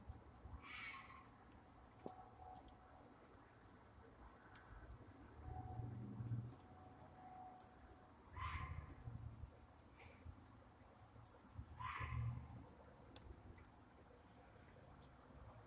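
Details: A fox gives harsh, drawn-out screams at night in the distance, at intervals of several seconds over a low background rumble; possibly calling for a mate.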